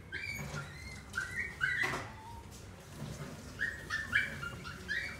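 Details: A dog at a pet shop whimpers repeatedly: short, high, squeaky whines come in quick bursts, some rising or falling, with soft thuds and a low room hum behind them.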